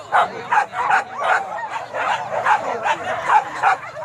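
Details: Hunting dogs chasing wild boar at Kayu Ampek in Tanjung Emas, Tanah Datar, barking sharply and repeatedly, about two to three barks a second in an uneven rhythm, with bright yelping tones over a busy pack background.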